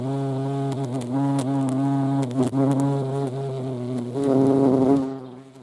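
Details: Steady, deep buzzing of a European hornet (Vespa crabro), humming with small pitch bends and a short rise in loudness near the end before the drone fades away.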